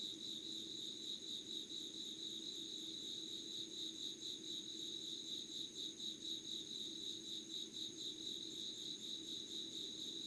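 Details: Early-morning insects in Yugawara, Kanagawa, Japan on 25 August 2019 at 5 a.m.: steady high pulsed chirping about two beats a second, joined by a continuous thin whistle-like tone higher up and gentle low background noise.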